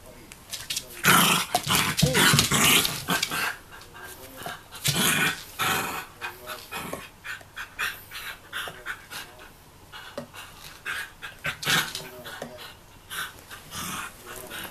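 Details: Three-year-old female Jack Russell Terrier fighting a pot-shaped puzzle toy because she cannot reach the treats inside, recorded 18 October 2014; bursts of low growling mixed with loud scraping and clattering of the toy, in irregular clusters.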